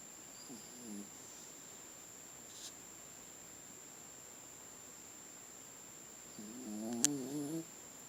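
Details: A sleeping Chiweenie dog snoring softly: a faint, wavering nasal snore early on, a long quiet stretch, then a louder, buzzy, harmonic snore near the end with a brief click over it.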